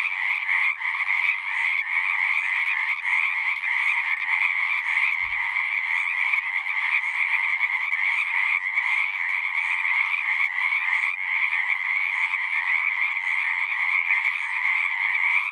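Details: Frogs calling en masse at a pond in a horse pasture, a long, even chorus of fast pulsed trills with faint rhythmic flutter and one soft low thump midway.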